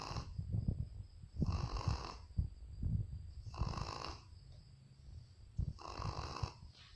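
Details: A Shih Tzu sleeping soundly and snoring, with rough, rumbling breaths repeating about every two seconds.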